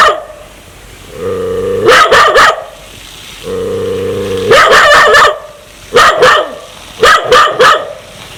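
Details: Dog growling aggressively, wanting to bite people: two sustained low rumbling growls, each ending in a rapid string of three sharp, loud barks, followed by more paired barks.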